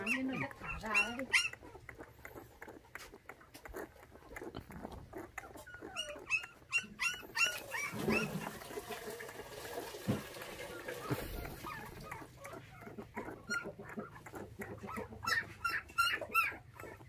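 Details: Five puppies, orphaned at six days old when their mother was stolen, being bottle-fed milk indoors; high thin whimpers and squeaks repeat rapidly and irregularly, with a person talking softly and feeding noises in between.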